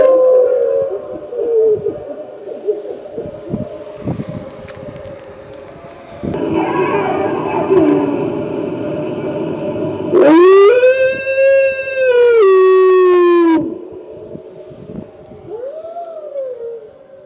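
A wolf gives a long, smooth howl that rises, holds steady, then sinks, after a stretch of rumbling noise.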